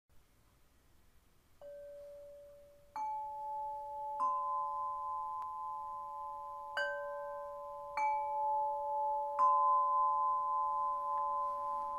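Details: Singing bowls are struck in turn, each adding a clear, steady ringing tone that hangs and blends with the others. No animal calls can be picked out beneath the layered hum.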